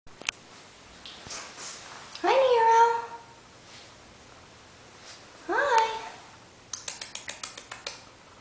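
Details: Sphynx hybrid kittens, F3 cross of sphynx and domestic shorthair, naked and coated littermates indoors at a cattery: two loud, drawn-out meows with falling harmonic sweeps, about three seconds apart, followed by a quick run of clicks and a person greeting them.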